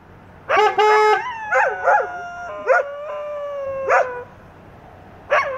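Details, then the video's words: English Setters howling in overlapping voices: a flat steady tone at the start, then several bending, wavering howls that rise and fall, separated by brief yips, with one last sharp yelp at the close. "English Setters sing the Song of Their People"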